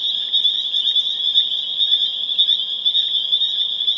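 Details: Massed spring peepers at peak volume in Harvard, Massachusetts, April 27, 2011, their piercing high peeps pulsing rapidly, about two per second, within a continuous shrill wall of sound.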